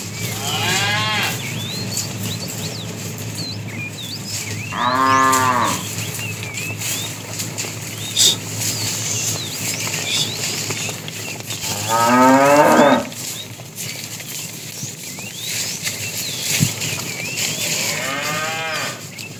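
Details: Cattle herded in the afternoon, a fat cow said to be calling the female: four moos spread over about twenty seconds, some short and rising, one longer and wavering, over chirping birds, rustling and a low hum.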